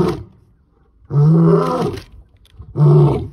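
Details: A male lion in South Africa roars to announce his presence while walking down a road, giving deep, rumbling roars, two powerful bursts that swell and fade.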